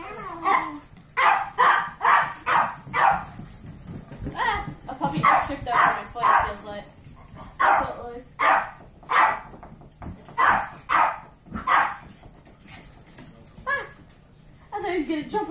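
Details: Foster dogs at play: an 8-year-old Pomeranian with a litter of 8-week-old golden retriever mix foster puppies; short yips and barks repeat in bursts, roughly one every second at times, with people talking and laughing throughout.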